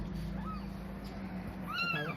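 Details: Newborn kitten, one of four with eyes still closed, found lying on a cloth in a cemetery around dusk before maghrib. A faint short arched cry, then a louder rising-and-falling harmonic meow near the end, over a low steady hum and human voices.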